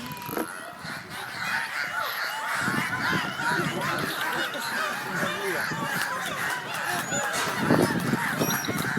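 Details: Dolphins at Attica Zoological Park in 2013 give rapid squeaky, honking calls during a show; the sound comes only from the blowhole, though the mouth opens and closes, and they use it to communicate.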